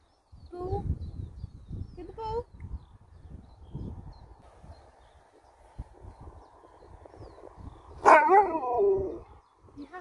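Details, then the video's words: Alaskan Malamute named Sherpa getting mad during a love-hate relationship with the family's daughter, giving short whining yelps early on, then a loud wavering howl-like whine near the end, with speech in the background. "Dog gets Mad"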